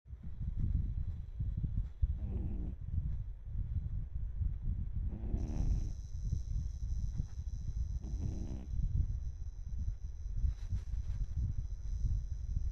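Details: Twelve-year-old cat asleep and snoring, raspy breathy snores arriving roughly every three seconds over constant deep rumbling noise and a faint steady high hum.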